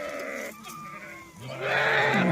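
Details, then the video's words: Herded goats out grazing in Dhangar pastoral life give drawn-out, quavering bleats that overlap, rising into a louder cry at the end, over background chatter. "बकरी आलो चारायला"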